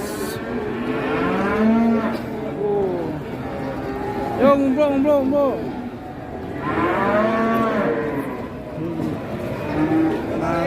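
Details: Two very large cattle at a livestock market in Indonesia, lowing in long moos with arching harmonics, three main calls spread over ten seconds, with crowd murmur and faint music behind.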